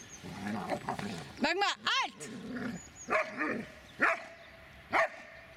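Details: Dobermann named Magmar von der Burgstätte giving a short run of loud, rough barks, two close together and then three single ones spaced about a second apart, with people talking in the background.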